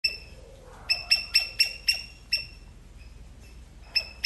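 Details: An Indian palm squirrel in Sri Lanka calls with a burst of sharp, high, bird-like chips, several each second, then pauses.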